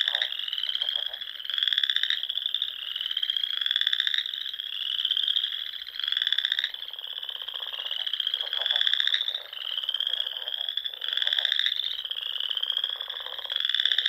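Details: Chorus of frogs heard at dusk during spring in the Nebraska Sandhills, beside small ponds; many repeated buzzy pulsed trills about every one to two seconds, layered into an unbroken wall of calling.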